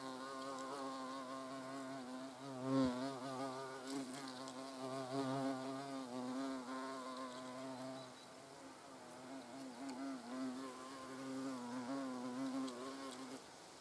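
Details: Continuous humming of European hornets near the nest entrance, wavering and rising and falling as insects come and go, with a sharp knock near three seconds and the buzz thinning after eight seconds.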